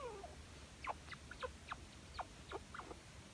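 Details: Affectionate, clingy pet chinchilla calling for attention: a brisk run of about eight short, high squeaks and chirps, each a quick sharp note, following one softer falling squeak at the start.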